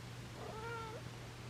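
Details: Young domestic cat from a rescued feral litter, meowing indoors in the morning as she is greeted: a single soft, drawn-out meow of about half a second, slightly wavering and falling at the end, over a low steady hum.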